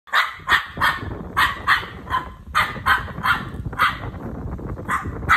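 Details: Dog barking in quick, sharp, repeated barks, several per second in uneven bursts, over a rumbling low background noise.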